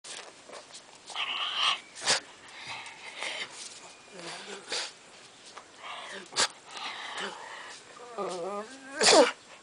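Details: A Pekingese at play gives sharp snorting bursts and short, wavering whines, with a person's voice in between.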